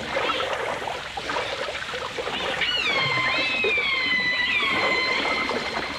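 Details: Underwater dolphin sounds from a 1989 full dimensional stereo recording. A soft crackle of clicks gives way midway to a loud, long tonal whistle with rich overtones, wavering and then gliding slowly downward, alongside fainter overlapping calls.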